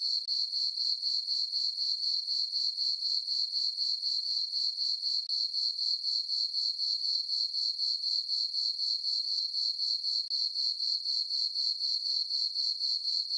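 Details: Crickets chirp at night in a meadow on a farm under a full moon in summer. A sharp, high-pitched, continuous pulsing trill keeps a very regular pace of about four beats per second.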